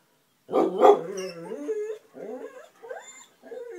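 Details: Two vocal puppies chattering at something they can see or hear: a loud, harmonic, wavering howl-like whine that rises and falls. It is followed by shorter yodelling whines with brief pauses between them.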